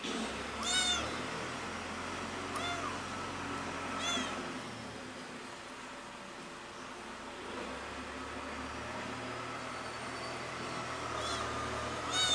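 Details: Young cat meowing loudly while missing its mother: several high, arching harmonic meows spaced irregularly, at about 1, 2.6, 4, 11.3 and 12.3 seconds, over a steady low hum and faint background noise.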